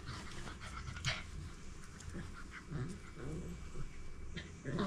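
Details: Pet dogs Hulk and young Chico at home, with Chico playing and hiding; low, rough rumbling growls and breathy panting in short bursts over a noisy indoor background, with a few brief clicks and knocks.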